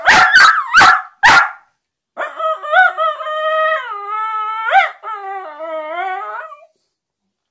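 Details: Westiepoo dog vocalising as if trying to tell its owner something: a few sharp barks, then a long wavering howl that rises and falls in pitch with rich harmonics, breaking off near the end.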